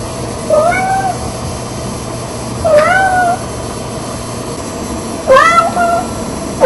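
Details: Lucy, a female Red Tabby Persian cat, meowing at home in the morning as a daily ritual to get her mommy and daddy out of bed; three drawn-out rising-falling meows spaced about two seconds apart over constant hum.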